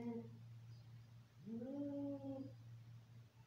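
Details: An angry domestic cat during a fight lets out one rising, sustained moaning yowl that holds steady before fading, backed by a constant low hum.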